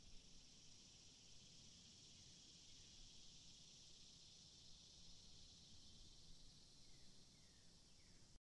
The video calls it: 自由に使える効果音 動画作成用素材 セミ 鳴き声 ミーン 蝉 複数